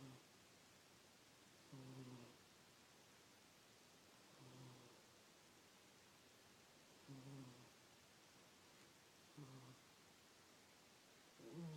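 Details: Miss the cat asleep, giving soft, low snores at a steady pace of roughly one every two and a half seconds, five gentle rasping breaths over faint steady room noise.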